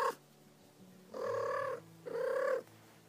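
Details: A domestic cat makes two bright, chirrupy trills about a second apart, each about half a second long. Trilling is mostly used by female cats: a greeting or bid for attention, and mothers use it to lead kittens.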